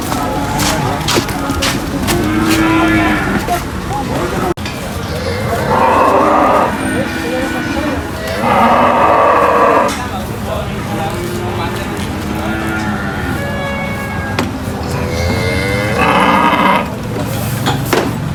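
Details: Cattle at a market during unloading from a truck, bellowing three strong hoarse moos spaced several seconds apart, each about a second or more long, amid people's voices and general market noise.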